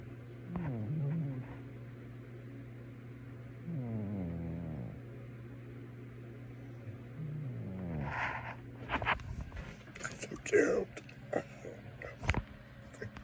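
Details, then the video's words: A male pet cat sleeping and snoring, with three low, rasping, buzzy breaths spaced about three seconds apart, followed by rustling and clicking handling noises. "My Cat is Actually SNORING!"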